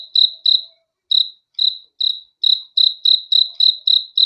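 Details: At night, crickets give high, ringing chirps, first a pair, then a gap of over a second, then spaced single chirps that quicken into a steady run of about four per second; quiet background.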